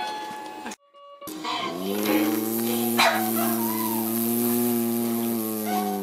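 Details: Buddy, a Boston terrier with a famously funny voice, singing: a sustained, wavering, tuneful howl that holds steady and bends slightly in pitch, broken by a short cut near the start.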